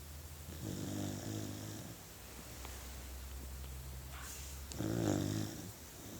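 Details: Sleeping puppy snoring indoors: two low, rumbling snores with a buzzy harmonic texture, one long and one short, separated by quiet breathing and a steady low hum.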